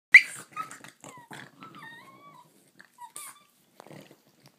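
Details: Two pet dogs, a Bugg and a Boston, bickering and playing together: short high yelps and whines with thin rising and falling whistled tones, broken by brief pauses, in a quiet room.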